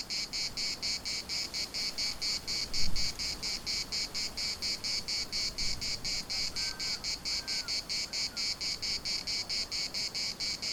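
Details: Cicada chorus in Larnaca's municipal park, buzzing in rapid regular pulses roughly twice a second; a brief low thump near the start and a few faint distant calls midway sit under the shrill drone.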